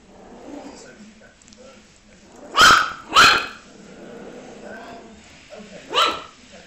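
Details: Puppies barking: three short sharp barks at about 2.6, 3.2 and 6 seconds, separated by quieter stretches with faint background murmur and low rumble.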